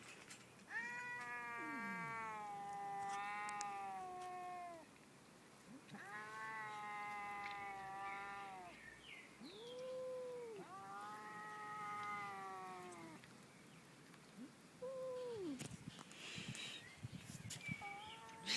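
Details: Domestic cat giving funny noises, long harmonic caterwauling howls lasting two to three seconds each, repeated four times with short rising chirps between them, and faint background clatter.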